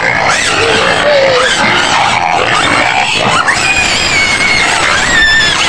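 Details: White pigs screaming in their pen on the outskirts of Medan: loud, continuous high-pitched squeals and shrieks, several animals overlapping in a dense din, with sliding whistle-like tones rising and falling.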